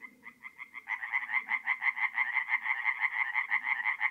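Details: Singing tree frogs at a forest pond by night in mid-April in North-East Italy; a few spaced pulses, then a loud fast series of harsh, evenly repeated croaks about three per second, several frogs overlapping, faint low murmurs beneath.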